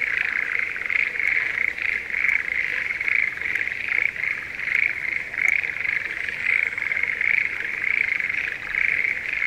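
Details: Schlegel's green tree frogs calling during the breeding season in a spring rice paddy near Sendai, Japan: a dense, unbroken chorus of rhythmic rattling croaks, one burst after another, with occasional faint ticks.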